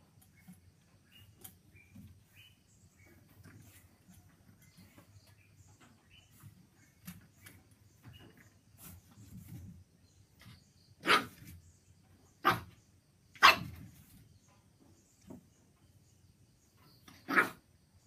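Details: A female pug puppy, seeing her own reflection in a mirror for the first time, barks at herself with a few short, husky barks that sound almost like coughs.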